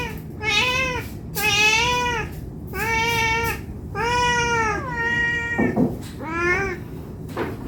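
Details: Cat meowing nonstop, asking for food out of hunger: long, rising-and-falling meows follow closely on one another, one trailing off into a rough, breathy sound, then two more meows.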